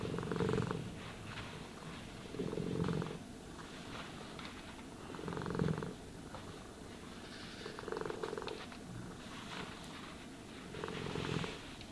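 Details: House cat purring during brushing and grooming, each purr phrase a low buzzy rumble lasting under a second, repeated roughly every two to three seconds, light brushing rasps between.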